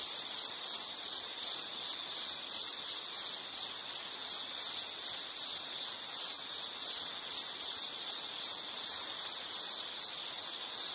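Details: Insect calling in a nature soundscape meant for relaxation, study or sleep: a steady high-pitched trill of rapid pulses, broken into short bursts about three times a second, with no other clear sounds.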